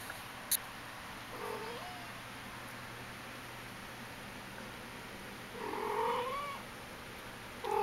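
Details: Tiny Persian kitten, three and a half weeks old, playing with a toy indoors: two thin, high, short mews several seconds apart under steady background hiss.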